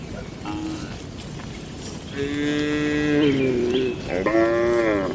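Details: Cattle in a traditional shed at night: a long harmonic moo from about 2 to 4 seconds that drops slightly in pitch, then a second shorter moo near the end, with a weaker call early on over steady low background noise.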